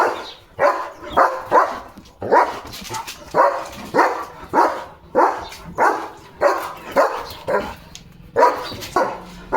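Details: German Shepherd dog wearing new glasses, barking repeatedly in sharp, regular barks roughly every half second to second, about a dozen barks, indoors with faint background noise.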